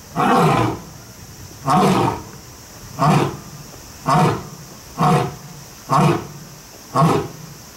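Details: Captive big cat, lion or tiger, at Kyoto City Zoo in Japan, roaring seven times in a row: short, heavy, booming bursts about once a second over a faint background hiss.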